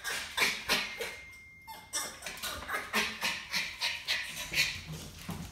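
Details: Norwich Terrier demand barking: sharp, high barks repeated about three times a second in a steady run after a brief pause, each bark bright and clipped.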